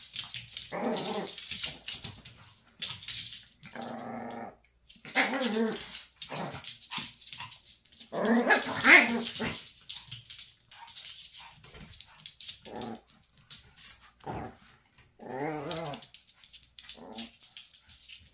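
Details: Maltese dogs, a mother teasing her son, trade short growls and sharp barks in irregular bursts, some snarls wavering in pitch, the loudest outburst about halfway through, quiet gaps between exchanges.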